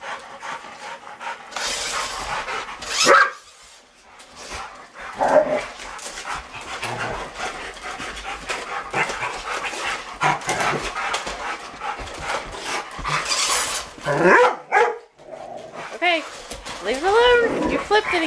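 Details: Rottweilers playing with a remote control truck: steady noisy panting and scuffling throughout, with a few short, high whining sweeps near the end, over handling and motor noise and occasional human speech.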